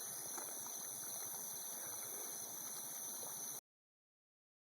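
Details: Steady gurgling, hissing noise under a high electronic whine stops abruptly into silence, with no animal voice.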